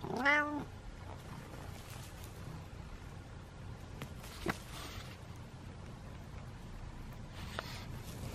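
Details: Kitten giving one short, clear meow near the start, pitched fairly high and rising then dropping. Several seconds of quiet room noise follow, broken by a few soft knocks and clicks.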